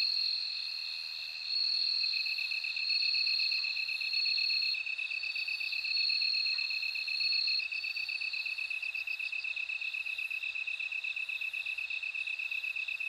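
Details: Ringing, high-pitched bell cricket trills repeated in short bursts for the first half, above a constant, rapidly pulsing lower insect drone that continues alone later.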